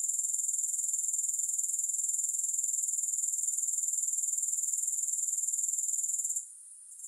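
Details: Steady shrill insect chirring from grasshoppers, pulsed roughly four times per second, cutting out near the end to a faint hiss before resuming.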